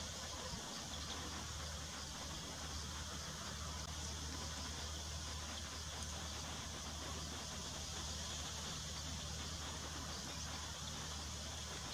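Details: Steady broadband hiss with a low engine-like hum throughout, and no animal calls.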